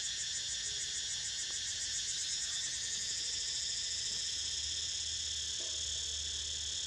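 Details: Continuous shrill cicada drone while Niko sleeps, the top band pulsing quickly at first and smoothing out midway; faint low hum underneath.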